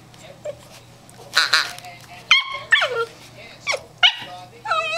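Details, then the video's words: Eight-week-old German Shorthaired Pointer puppy Stormy, a female, offers her first bark: a few short, high, squeaky barks with bent pitch, several in quick pairs, amid human voices and a low constant hum. "Stromy's First Bark"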